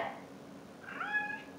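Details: Talkative pet cat meowing once indoors, a single drawn-out mew with a slight upward bend then level tone, over quiet room hum.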